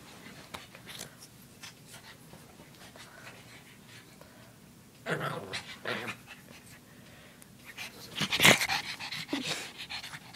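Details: Panting from a female pug puppy: faint breathy puffs at first, then a cluster of stronger snorting huffs in the second half, with a sharp loud burst among them.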